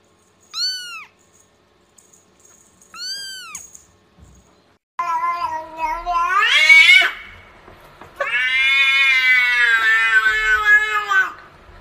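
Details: Domestic cat giving two short, high, arching meows, then a long wavering yowl and a second drawn-out, strained caterwaul lasting several seconds, rich in harmonics, with a quiet background between calls.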